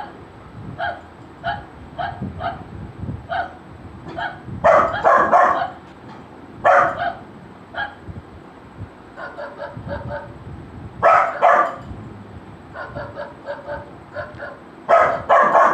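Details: Golden Retriever puppy reacting to a barking sound over a long stretch: steady runs of faint, rapid barks alternating with clusters of loud, harsh barking every few seconds.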